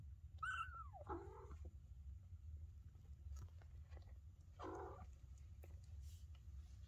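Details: Maine Coon kitten indoors, stepping into a litter box for the very first time; a high arched meow that slides down in pitch, followed by two shorter softer mews, over low room hum and faint rustling.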